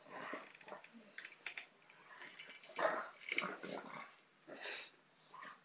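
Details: Playing bulldog Botox, a female, tussling with a soccer ball: irregular grunting and throaty growl-like snorts with whimpering breaths, a stronger burst of snorts around the middle.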